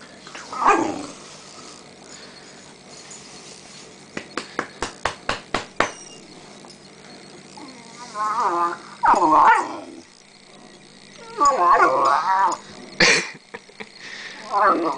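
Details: Rhodesian Ridgeback puppy playing on Boxing Day, mistaken for a sister dog's plaything; scattered short growls and yelps, a quick run of sharp clicks or taps midway, bursts of rough play noise between quiet stretches.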